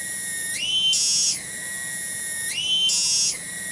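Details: Tonggeret cicada calling from a village garden in Bungursari, Indonesia: a piercing continuous whine that swings upward into a brighter loud phrase twice, about two seconds apart, then falls back to a level tone.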